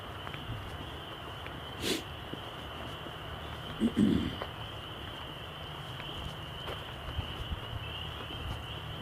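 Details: A frog chorus, not yet in full voice, on a trail walk on 27 March 2021, forms a steady, high, shrill trill throughout; a brief low honk-like sound, possibly Canada geese nearby, and a few handling clicks break in.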